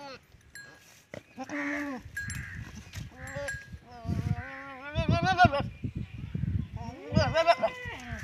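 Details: Teddy goat and female goat mating in a village in Punjab, Pakistan. Several short, wavering nasal bleats are interspersed with human speech and clattering noises.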